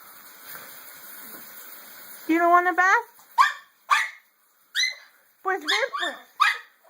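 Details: Pet dog that dislikes baths, at bath time, gives a drawn-out harmonic whine, then a string of short, sharp barks, with a woman's voice calling her nearby.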